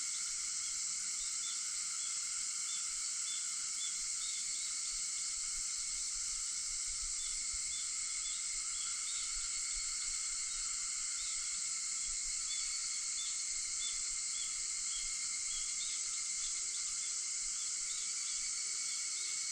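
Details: Early-morning cicada chorus on August 4 at 4:50 a.m., a constant bright buzzing wall of sound without pauses, layered steady tones underneath and a few tiny faint chirps scattered throughout.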